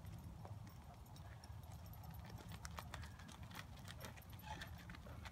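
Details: Horse walking during a riding lesson, its hooves making a steady, low, rhythmic clip-clop throughout, with faint clatter and background noise.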